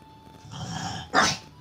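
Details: Porco, a five-year-old male cream French Bulldog, barks so hard his front paws lift; a low rumbling growl builds, then one short sharp bark bursts out, over a faint steady tone and background music.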